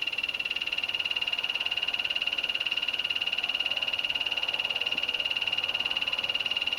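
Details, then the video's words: Male yellow-banded poison dart frog calling for a mate, a day-active species kept as a pet; a long, steady, high buzzy trill of rapid even pulses runs unbroken through the whole recording against a faint background hiss. "D. leucomelas call"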